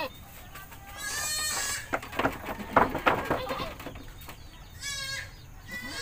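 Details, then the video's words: Village goat in Indonesia being bathed, with wavering harmonic bleats around one and five seconds between clattering splashes and knocks, plus a rooster-like call and faint human voices. "Kambing 🐐 di desa sedang mandi‼️"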